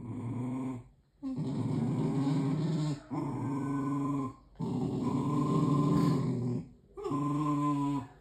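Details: Indoors in Indonesia in November 2023, a startled puppy growls at its own reflection, one of two playing dogs, white and black; long, steady, low throaty growls run about two seconds each, four in a row with brief pauses between.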